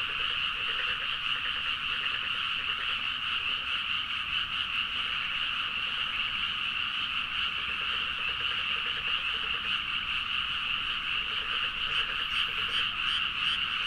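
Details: Midnight chorus of numerous frogs in paddy fields around Nagaoka, Niigata, Japan, Zoom H4n recording; thick, constant overlapping croaks form a shimmering wall, with a lower, softer croaking layer pulsing underneath at intervals.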